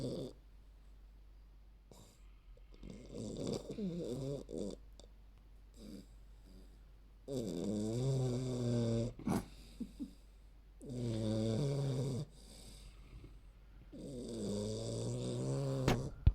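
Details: A 3-month-old female Olde English Bulldogge puppy snores extremely loudly while sleeping, in rough, rattling bursts with each breath.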